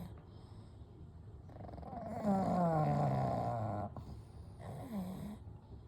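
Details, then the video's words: Kou, Gen and Shun, three sleeping pugs, snore and breathe at night: a drawn-out rattling snore with a descending whistle, followed by a shorter snore with a rising-falling whistled squeak. "A Night with Sleeping Pugs - Gentle Snoring & Breathing"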